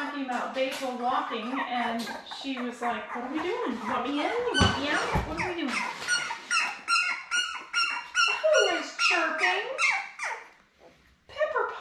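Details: Newborn Labrador Retriever puppies, a litter of seven born May 24, 2021, with their mother Belle on a puppy cam, June 4: wavering, squeaky whines that rise and fall, overlapping and continuous, with short high squeaks toward the end.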